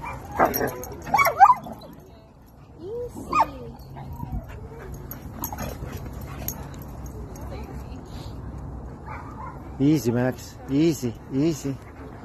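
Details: German Shepherd meeting friends at a playground, happy: early clips of voices and scuffling, then three quick repeated whining yelps, each bending up and down, close together near the end.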